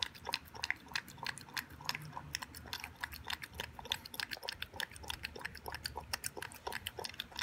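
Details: Eleven-week-old Boston Terrier puppy Toby chomps through his first raw beef meal with vegetables and yogurt. Dense, sharp, crackling chews and smacks come several times a second in a small indoor room.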